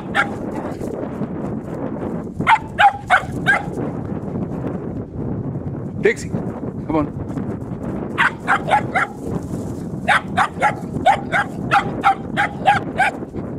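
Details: A three-month-old puppy on her first day as a sheep dog barks in quick bursts of sharp, ringing yaps, several runs of four to six barks over steady background noise, with a person's voice heard too.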